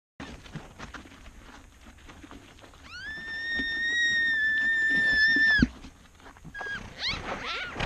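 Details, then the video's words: Antelope giving a single long, level, clear tonal cry that holds steady for nearly three seconds and then cuts off, over a low rustling background with a few short, fainter calls afterwards. "Antelope sounds - amazing antelope noises"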